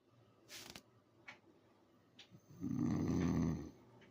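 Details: A sleeping English Bulldog gives one long, deep, rattling snore, preceded by a few soft clicks and breaths.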